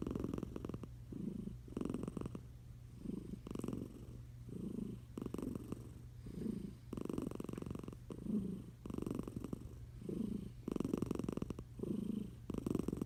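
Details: Snoring from Eliza, a tiger cat sleeping under a blanket: rhythmic low rattling breaths, inhale and exhale alternating about every second, fairly even throughout, low background hum.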